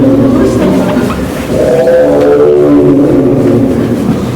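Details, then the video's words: Male Amur tiger named Toto, born 17 February 2021, at Maruyama Zoo, filmed January 2026, giving a drawn-out moaning 'aoon aoon' call, low and harmonic-rich, swelling louder after a brief dip midway, over steady background noise. "トートの アォーン アォーン"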